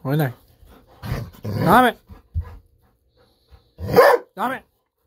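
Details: Bis, a Golden Retriever kept indoors, barks on and on in delight at the prospect of fish-sausage snacks. Several loud barks come in two bursts, some rising in pitch, with brief pauses and faint room sounds between.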